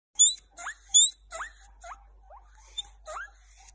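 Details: Baby pet guinea pig squeaking: short, sharply rising squeaks, some paired with a thin, very high whistled tone, about eight squeaks in under four seconds with quiet gaps between bursts.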